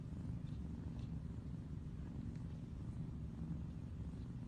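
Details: Mother domestic cat calling her kittens with a steady, low, rumbling purr that runs through the whole stretch, broken only by faint higher squeaks near the half-second and one-second marks.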